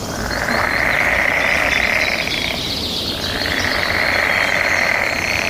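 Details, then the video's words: Mating-season frog chorus: a steady pulsing, buzzy drone that dips in the middle and then rises again, while birds twitter faintly higher up. "Suara Kodok bersahutan"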